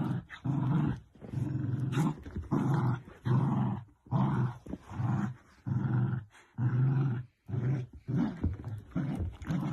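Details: Low, gruff growls from playful Dachshund puppies, repeated roughly once a second in uneven bursts, some longer and rolling, with short silent breaks between.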